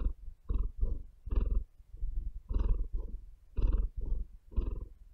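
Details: Cat purring at close range, each breath a separate throbbing rumble, in and out roughly twice a second, quiet room with no other sounds.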